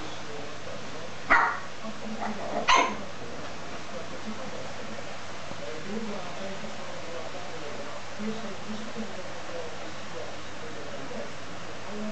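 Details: A 13-week-old Lhasa Apso puppy, playing with a teddy bear, gives two short, sharp, bright yips about a second apart, then falls quiet, leaving a faint steady hum.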